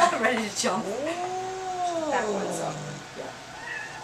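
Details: Angry domestic cat during a vet visit, freaking out on the examination table: a short cry, then a long drawn-out harmonic yowl that rises, holds and slowly falls over about two seconds, ending in a lower growly tail, with faint voices around.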